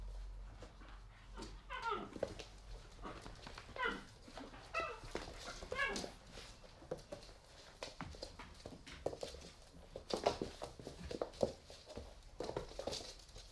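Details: Three-month-old pit bull puppies playing in an apartment, filmed in 2017: a run of short, harmonic whiny yelps and growly cries in the first six seconds, then mostly scuffling, thumps and clatter from the rough play indoors.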